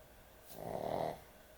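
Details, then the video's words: Sleeping dog at bedtime, a heavy snorer, gives one drawn-out snore about half a second long, a rough nasal rasp swelling then fading against a quiet room hum. "강아지 수면영상, 코골이 강아지의 취침시간"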